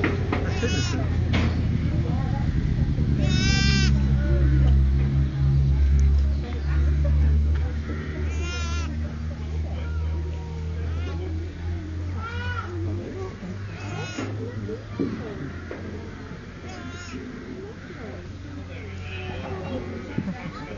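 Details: Sheep with new-born twin lambs, one struggling to get to its feet. Five or so high, wavering bleats are spread across the clip, with low rumbling noise and people talking.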